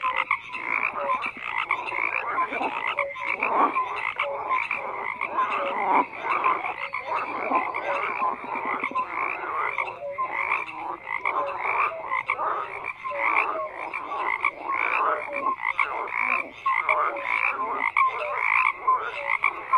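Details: Massed frogs fill the air with steady croaking, grating pulsed calls stacked over one another and occasional brief piping notes, nothing else audible.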